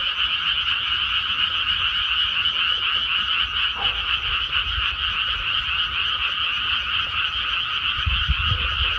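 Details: Many frogs croaking together in a rice paddy after rice planting, a dense unbroken chorus of rapid rasping pulses that keeps a steady, even level throughout, with faint low rumbles underneath.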